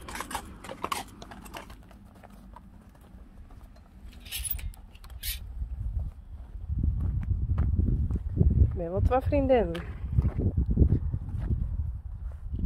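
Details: Friesian horses in a pasture, where mares meet young Friesians recently moved there: a single quavering, wavering whinny lasting about a second near the middle, over heavy low rumbling noise, with people talking at the start.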